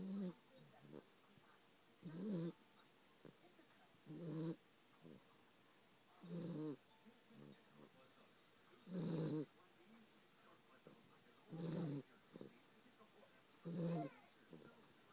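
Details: Dog asleep and snoring: seven loud, low, grunting snores spaced about two seconds apart, each with a raspy, hissing edge, separated by softer wheezing breaths; no other sounds.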